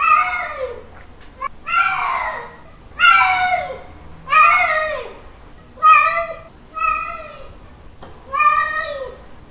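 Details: Male cat giving a mating call toward a female, seven long wailing meows that rise and drop, spaced irregularly about a second apart, in a quiet room.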